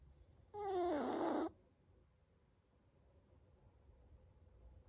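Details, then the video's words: Seven-month-old Chihuahua asleep and snoring loudly: a single strong, whistling, nasal snore lasting about a second, with a wavering tone, followed by quiet room background. "7 month Chihuahua: Chocolate snores so loud."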